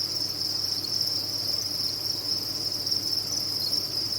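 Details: Dense chorus of captive crickets from a cricket farm, a seamless high, bright trill held at steady volume for the whole stretch, with a soft low hum beneath.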